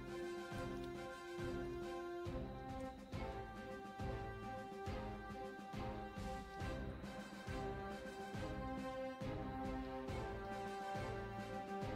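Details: Steady instrumental theme music with a regular beat and sustained tones, and no animal voice audible.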